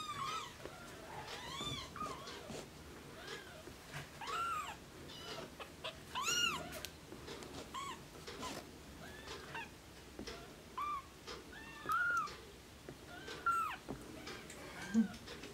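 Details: Blue Oriental Shorthair kittens give high, thin meows that arch up and down, repeated over and over.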